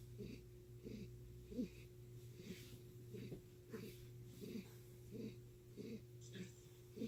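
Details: Chris, a house cat whose purr sounds like heavy breathing, gives a wheezing, raspy rhythm of pulses less than a second apart. Breathy hisses accompany each pulse, with a steady low hum underneath.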